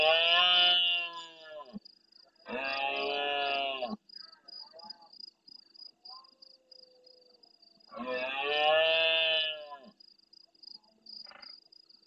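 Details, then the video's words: At nightfall in the marsh of El Rocío, Doñana National Park, Spain, a big stag roars near the camera in reply to farther stags. Three drawn-out, strained, throaty roars come roughly every three to six seconds over a constant rhythmic cricket-like trill. "Berrea nocturna en primer plano"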